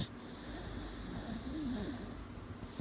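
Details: Aida Coronita, an 18-week-old dog, snoring while asleep at night: soft, low wheezy breathing throughout, a wavering nasal whine swelling in the middle, and a short sharp snort at the very end.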